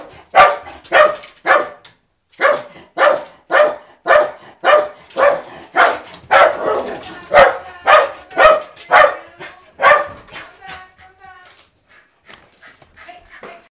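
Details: A dog reacting to the mail carrier with a long run of rapid, regular barks, then quieter whining, yelping sounds trailing off at the end.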